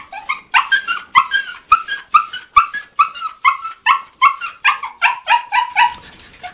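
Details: Rescued dogs at an animal shelter in Coin, Malaga, southern Spain, waiting to be let out in the morning: a rapid run of high, excited yelping barks, roughly two to three per second, continuing without pause.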